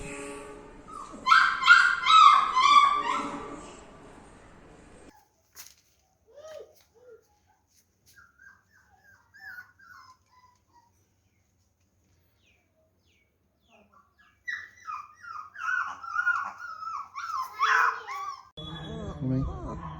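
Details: Puppies offered for sale in India give high, wavering whimpers and whines, loud in a dense burst at the start, then fading into scattered faint cries before breaking out again in a run of rising whines near the end.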